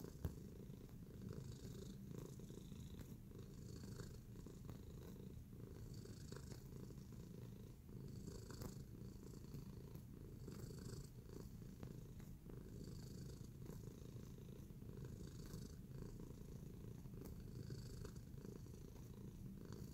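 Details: Tacy, a domestic cat kneading in a relaxed mood, keeps up twenty seconds of constant deep purring, a smooth pulsing rumble, with faint higher rustling and occasional light ticks in the background.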